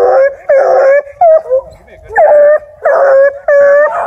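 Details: Ten-month-old UKC-registered Bluetick Coonhound female, River Styx Indigo, bays in drawn-out, steady howls broken by short yelps, about five loud bursts in quick succession with brief gaps between.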